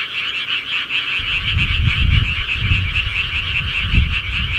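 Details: Rural frogs at night make a thick, continuous chorus of overlapping rattling croaks, while loud low thumping and rumbling noises break in after the first second and recur irregularly.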